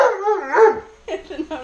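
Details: Tonka, an Alaskan Malamute, asks for french toast with a drawn-out, wavering, talking-like moan that rises and falls, followed by shorter grumbling yowls.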